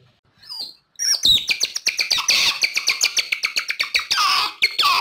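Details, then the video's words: Otter call used as a lure for wild otters: a faint short whistle, then a fast run of loud, high, squeaky chirps, roughly twenty-five in four seconds, some merging into brief trills. "SUARA OTTER BERANG2 PALING AMPUH UNTUK MEMIKAT BERANG2 LIAR"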